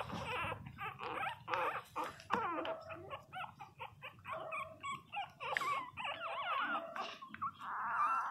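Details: Loud crying from 22-day-old Pinscher puppies, a busy tangle of high whimpers and squeaky whines, several pups at once, with a drawn-out wavering cry at the end and handling noise beneath.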